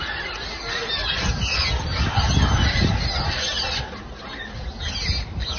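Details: Baboons at a site in Al-Namas, Saudi Arabia, after a fight between groups of baboons, with wildlife teams clearing the site. Harsh, honking and squawking calls overlap continuously above a heavy low rumble of outdoor noise.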